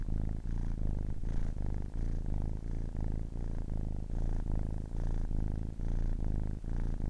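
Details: Purring of a 10-week-old kitten: steady, deep vibrating rumble broken into even breath pulses roughly every half second, with faint clicks at the turns between inhaling and exhaling.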